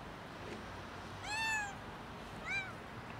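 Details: Cat stuck on a roof asking for help getting down, giving two meows: a longer, clear, arched harmonic meow followed about a second later by a shorter, softer one, over a low hiss of background noise.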